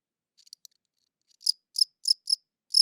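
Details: Crickets chirping, captured with a good audio recorder: a few soft, scattered high clicks, then five sharp, high-pitched chirps spaced roughly every quarter second, in otherwise clean silence.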